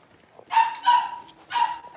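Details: Six-week-old Cavalier King Charles Spaniel puppies in a puppy pen while being dewormed and having toenails trimmed: three high, steady whining cries, each about a quarter second, evenly spaced.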